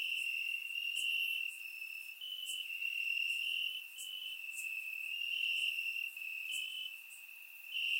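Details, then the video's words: Crickets chirping in grass on a warm summer night in Bulgaria, recorded with a surround microphone; a dense, steady high trill with overlapping callers, swelling and dipping every second or two, plus brief brighter chirps above. "Cricket Sounds - Crickets Chirping at Night"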